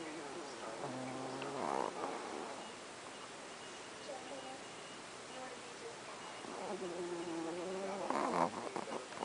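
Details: Sleeping pet Chihuahuas recorded one night, snoring loud enough to sound like a grown man: two drawn-out, tonal snores with a whistling, wavering pitch, the first near the start and the second toward the end, separated by quiet breathing.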